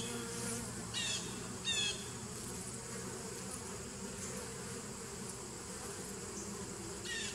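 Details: A 2017 nuc colony of bees, 27 September 2018, gives an unbroken low buzzing drone, interrupted by a few loud bursts of high chirping calls near the start and end.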